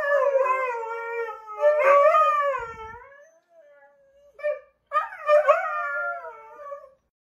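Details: Husky dog howling in two long, sliding phrases that rise then sag downward, separated by a short quiet gap with a brief yip between them.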